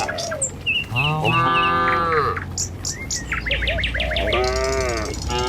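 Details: Village cattle moving in a herd along a rural road to the pen in the morning: a long, deep moo that bends downward, then a shorter second moo, with quick bird chirps and whistles around it.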